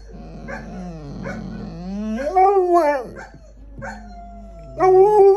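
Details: Pet dogs howling in a group, voices starting low and gliding upward into higher arching wails, overlapping and shifting pitch, with a loud, steady, higher howl bursting in near the end.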